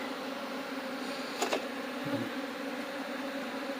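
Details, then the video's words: Honey bees during a beekeeping demonstration: a steady, low droning hum with a higher overtone band, broken by a couple of brief sharp clicks near the middle. "mauri Karne tarika"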